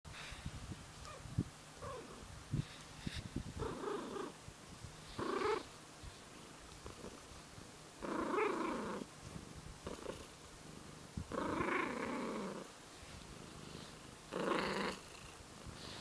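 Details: Tortoiseshell cat growling and purring at the same time, indoors: a low continuous purr under repeated harsh, broad growling bursts about a second long, roughly every three seconds.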